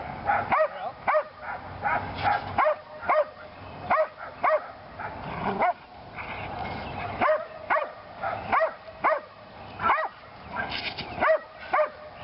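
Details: Belgian Malinois Lily during PSA bite training on leg sleeves, her second time; a run of sharp, evenly spaced barks with a brief rough pause midway, then the barking resumes, some barks higher and yelpier.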